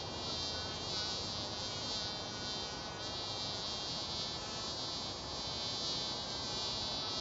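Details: Several mason bees buzz each other, making a continuous droning hum rich in high overtones that holds an even loudness throughout, with faint wavering in the upper tones and nothing else audible.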